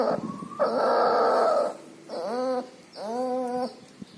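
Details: Sick puppy with pneumonia and distemper, breathing loudly with nasal discharge; a long harsh noisy breath is followed by two rising, bending whines, each about three-quarters of a second long.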